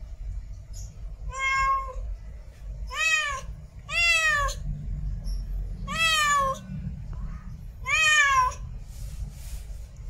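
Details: Mate calling from a female cat in heat, a run of strong harmonic meows that arch upward and sag at the end, coming every one to two seconds against a constant low-pitched background noise.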